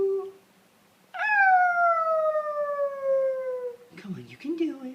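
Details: Female Basenji Ginger Snap, aged a year and a half, recorded November 2013 as she is urged to say hi: a long, smooth, tonal howl sliding steadily downward in pitch for nearly three seconds, followed by brief rougher voice sounds.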